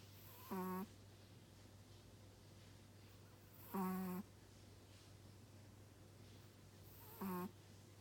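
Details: Chihuahua snoring: three short, rasping breaths with a layered, buzzy tone, spaced about three seconds apart, over a steady low electrical hum.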